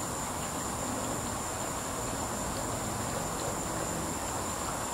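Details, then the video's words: A cicada in a tree keeps up a continuous shrill tone that never varies in pitch or loudness, with a dull, rumbling hiss of background noise underneath. "cicada was going crazy"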